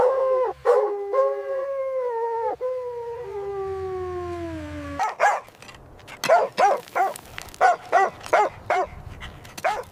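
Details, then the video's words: Playful puppies on fresh green grass, running and play-fighting: a long, wavering howl slides slowly downward for several seconds, then gives way to a quick run of high, regular yapping barks. "Dog barking sounds"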